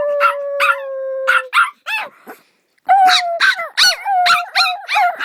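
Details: Domestic dog holding a steady flat howl under sharp yips, then falling quiet for a moment. It resumes with a wavering howl mixed with quick barking yelps.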